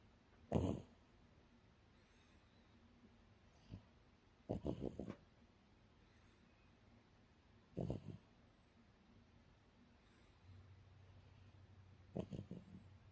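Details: Toy poodle sleeping deeply, apparently tired, snoring: four breathy snorts with soft low rumbling spaced roughly every three to four seconds, with a faint low hum between them in a quiet room.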